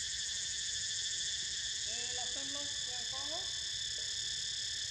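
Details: A continuous, ringing cicada chorus fills the air as Niko dozes. The high buzzing drone holds unbroken throughout, with a brief cluster of faint, wavering lower tones near the middle.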